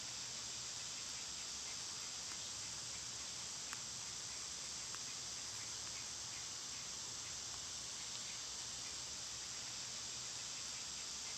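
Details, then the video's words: High, sizzling cicada drone in summer holds steady from start to finish, with a faintly rhythmic pulse and a couple of isolated soft clicks. "Birds & Squirrels w/ Cicada sounds"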